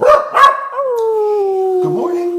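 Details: Divot, a Cardigan Welsh Corgi, singing along with a man: a couple of short voiced yelps, then a long clear howl-like tone sliding slowly downward and holding steady, with a brief rise near the end.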